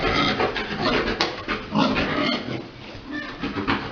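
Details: Large boar mating a sow at a pig breeding farm; rapid, irregular snorting grunts, several a second, mixed with busy rustling and thumping in the pen.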